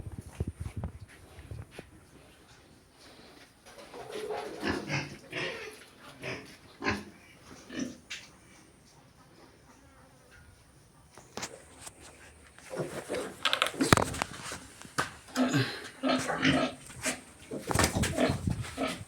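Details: Pigs on a farm, grunting and squealing in scattered bursts, quieter in the first half and busier after about twelve seconds, with clatter and other farm noise around them.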